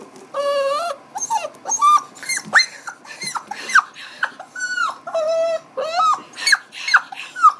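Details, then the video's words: Dog making funny talking-like vocalizations: a rapid series of harmonic, yodel-like whines and howls that rise and fall in pitch, about two per second, with clear overtones and a quiet indoor background. "Dog talks funny"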